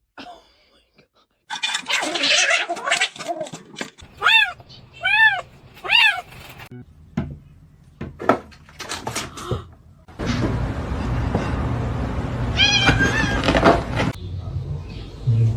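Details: Kitten giving three short, high, arching meows about a second apart, with clatter and rustling before them, then a burst of broad noise and one fainter meow.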